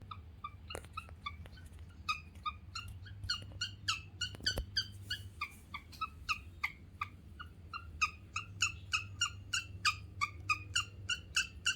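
A guinea pig chirps in a long run of bright, bird-like notes that quicken toward the end.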